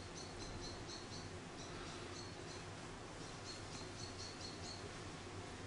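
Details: Orphaned baby grey squirrel Charlie, about one week old and hand-reared after falling from a garden nest, utters clusters of short, high-pitched squeaks, a first burst, a short gap, then a longer rapid series.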